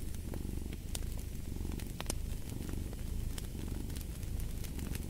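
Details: Steady low purring from a house cat, a dense vibrating rumble that rises and falls gently with each breath, while a fire crackles and snaps in the background at irregular moments.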